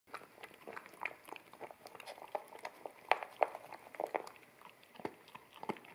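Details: American Akita puppy eating wet kibble from a bamboo plate indoors, recorded in stereo on a ZS100 camera: rapid wet crunching and smacking bites, about three per second, with sharp louder crunches near the middle.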